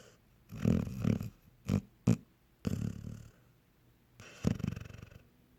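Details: Sleeping dog Honey snores in a cartoonish way, with deep, buzzy rumbles: a pair of long snores, two short sharp snorts, then a drawn-out rasping breath and a final loud snore fading out.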